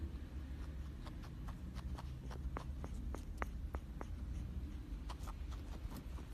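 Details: Crackling noises from Coco, a female guinea pig kept as a pet, with eye discharge and a new onset of sounds while eating and drinking normally. Scattered short, dry clicks pop irregularly against a low indoor hum.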